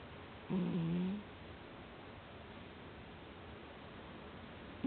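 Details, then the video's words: Domestic cat sleeping soundly, giving a single low tonal snore of about half a second, a steady hum with faint overtones, then quiet breathing background. "いびきねこ Z-Z-Z Cat"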